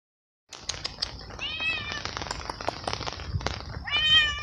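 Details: Wet stray cat living alone on the street, meowing with happiness while eating cooked veal at night in steady rain; arching harmonic meows around 1.5 and 4 seconds over constant rain patter and clicking chewing noises.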